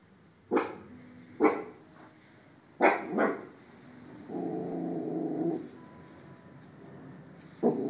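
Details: Lilly, an 8-month-old West Highland White Terrier in her pajamas, guarding the house: sharp single barks about a second apart, then a sustained low rumbling growl lasting over a second, and a final bark.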